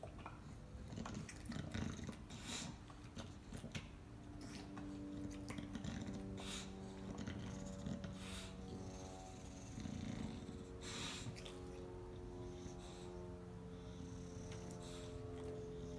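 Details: English Bulldogs sharing a bone, biting it together, with a low, rumbling growl that holds steady tonal layers for long stretches, broken by sharp, scattered crunches and clicks from the chewing.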